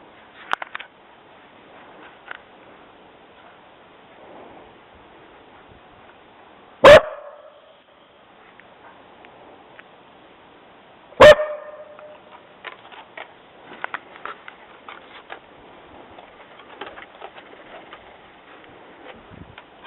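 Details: Jessi the dog barking after hearing somebody walking on the trail: two loud, sharp single barks about four seconds apart, with soft rustling and scattered clicks between them.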